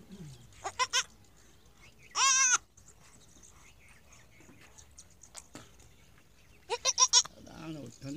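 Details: A newborn goat kid on its first day, on a goat farm, gives high, quavering bleats, with a few shorter bursts before and after.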